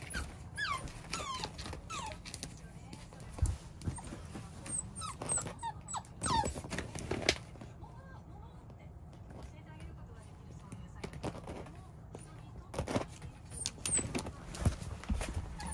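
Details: Chubby, roly-poly Beagle puppy whimpering: thin high whines sliding downward, some in quick bursts near the start and middle, with human speech throughout and a steady low rumble underneath.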